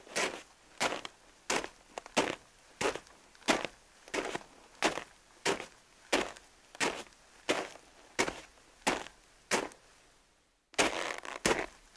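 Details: Steady broadband thuds repeat roughly every 0.7 seconds, like footsteps or chopping, with a brief silent gap near the end; no animal voice is heard.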